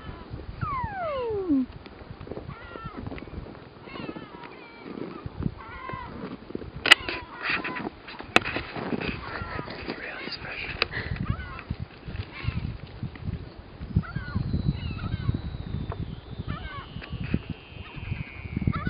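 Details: A Weddell seal on shore at Ronge Island, Antarctica, calls while sleeping: a clear whistle gliding sharply down, then short warbles and chirps, and a thin high tone slowly descending over a low rumble. These calls are said to be normally used to communicate underwater.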